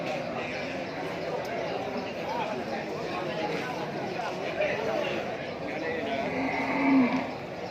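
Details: Brahman cattle at the Sibreh livestock market in Aceh Besar, Indonesia, on the first Wednesday after Eid al-Fitr 2021, feeder stock for Qurban: a short low moo near the end, over a steady din of crowd chatter.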